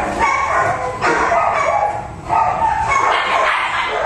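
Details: Sick Pomeranian dog whining in a run of high, strained whimpers with clear harmonics, each cry wavering in pitch and following the last about every half second, with brief breaks between bursts.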